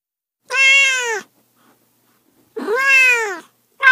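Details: Two long, drawn-out cat meows, bright and richly harmonic, each lasting nearly a second with a slight rise and fall, separated by silence, a third beginning at the end.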